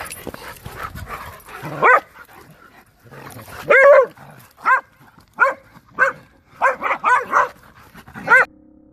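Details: American Staffordshire Terrier giving a run of short, yelping barks with rising and falling pitch, about nine bursts in quick succession after an opening of softer sounds.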